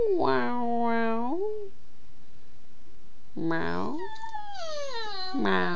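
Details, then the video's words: Pet dog Bella vocalising back at her owner: three separate whiny, moaning calls, each holding steady then bending downward, separated by short pauses, with a person's encouraging voice nearby. "Talking with Bella the dog"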